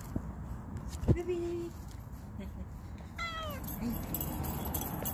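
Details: A stray cat named Ruby, looked after and coaxed with food, makes a brief flat meow after a sharp knock. About two seconds later comes a quick downward-sliding meow against steady low outdoor rumble.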